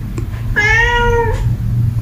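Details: Pet cat giving one sustained, evenly pitched meow of under a second, said to be angry toward another cat, against a quiet indoor background with low rumble.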